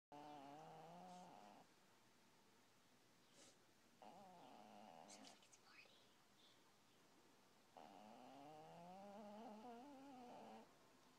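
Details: A fat female cat, asleep, snores loudly and oddly. Three long, drawn-out, wavering tonal breaths come with quiet pauses between them. A few faint clicks sound in the gaps.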